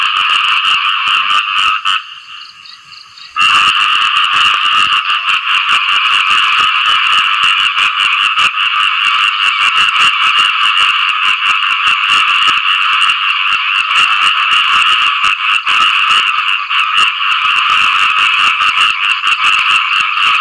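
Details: A post-rain chorus of frogs calling for mates: dense rasping croaks drop out briefly near the start, then resume as a continuous loud buzzing drone.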